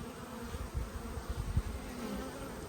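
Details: Honey bees during a hive inspection on 19 March 2022, before the yellow and black hives are opened; a low, steady buzzing hum of many bees with a faint tone underneath and soft rumbling handling noise.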